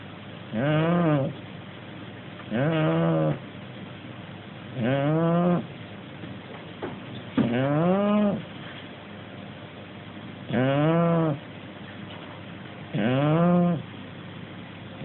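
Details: A sleeping Shar Pei–Corgi mix dog snores in low, droning tones, one snore about every two and a half seconds.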